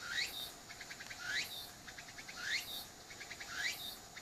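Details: Shrill cicada phrases, filmed with an apeman A80 beside a mixed-breed dog fixated on the noise. Each rising whistle swoops upward, then a burst of evenly spaced clicks follows, cycling about once per second.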